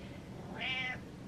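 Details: Attention-seeking house cat Butters lets out one clear meow, a slightly longer arched cry with rich harmonics swelling in the middle and fading, answering his owner's chatter in a quiet room.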